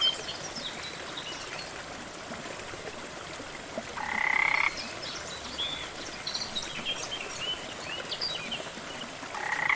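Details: Against steady waterfall noise in a rainforest, a frog sounds one grating, pulsed croak a little under a second long midway through, then starts another at the close. Faint high twittering calls are scattered in the background.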